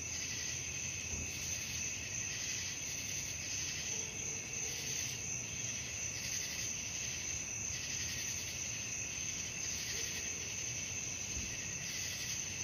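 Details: Night-time cricket chorus of continuous shrill trilling with a rhythmic pulsing swell, over quiet low background noise and a few faint, brief low tones drifting in partway through.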